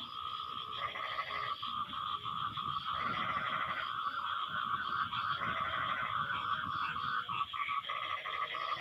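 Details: Frogs calling back and forth after rain: loud, buzzy pulsed croaks about a second long repeat every two to three seconds, layered over a dense trilling chorus and a high continuous whine.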